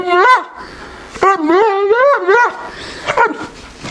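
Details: A female Neapolitan Mastiff named Toots begs for a peanut butter jar in January 2015. Her wobbling, moaning whines rise and fall, and a grumbling, howl-like note swells in the middle. A short sharp yelp closes the sequence.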